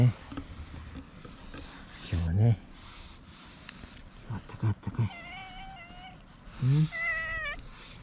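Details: Stray cats, a white cat and an orange tabby, by tetrapods squaring off in a springtime quarrel: long, wavering, drawn-out yowls rise and fall near the end, mixed with a woman talking softly to the white cat.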